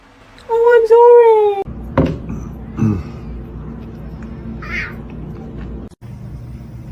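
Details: A domestic cat gives one drawn-out, slightly wavering meow lasting about a second, followed by quiet room noise with a few soft thumps and rustles.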